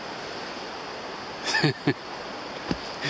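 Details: Steady rushing of water or wind, with a few brief spoken syllables and a soft knock; no animal voice stands out.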